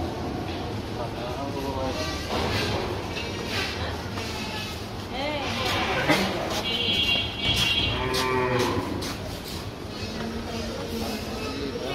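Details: Cattle bought for Qurbani at Eid ul-Adha 2024 give drawn-out harmonic lowing moos amid dense background noise, music and bustle.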